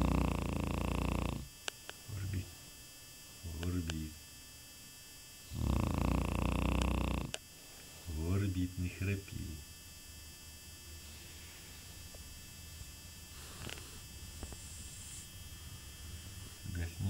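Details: Sleeping Shar Pei dog snoring: deep rattling snores of over a second come at long intervals, while human voices talk quietly between them and a faint hum runs underneath.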